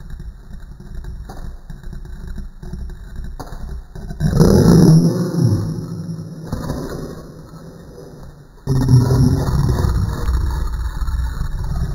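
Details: A low, engine-like rumble swells and fades in uneven surges, with some scraping noise. No clear animal voice stands out.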